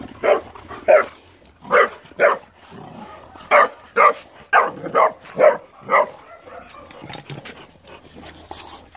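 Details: Boxer dogs at play, barking in quick bursts of two or three sharp barks, pausing briefly, then resuming in a faster run of barks.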